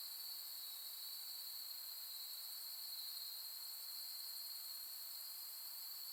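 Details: Insects of early autumn singing after dark on the Soni Highland grasslands in Nara, Japan, end of August 2021: a dense, unwavering high ringing trill in stacked bands, with faint pulsing in the top layer and no other sounds.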